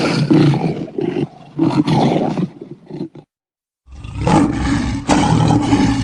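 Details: A lion gives deep, rumbling roars broken into heavy bursts, with a brief silence before a sustained roar.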